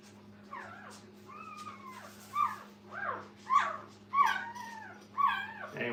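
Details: Brittany puppies beside their mother in a kennel: loud, high whimpering yips that bend upward then slide down, about six sharp bursts roughly once a second, with a faint steady hum underneath.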